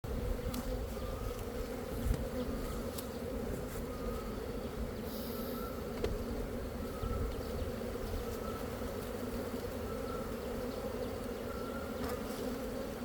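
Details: Honey bees in Cambodia, a steady dense hum of many wings holding a low even drone throughout, with faint higher tones and a few soft clicks.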